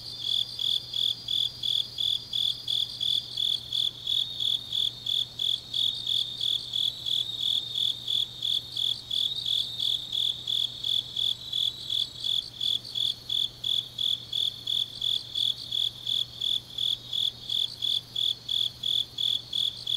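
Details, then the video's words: Grass insects singing on a deep autumn night in Changnyeong, South Gyeongsang, Korea: steady high chirps pulse about three times a second over a continuous shrill trill, with a faint low hum beneath. "깊은밤 가을 풀벌레 소리"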